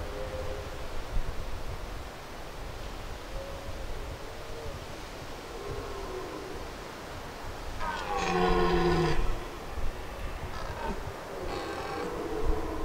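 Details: Wild red deer stags bellow during the autumn rut on the Aubrac plateau, with wind and the stags close by; a deep, hoarse rutting bellow is followed by a shorter second roar.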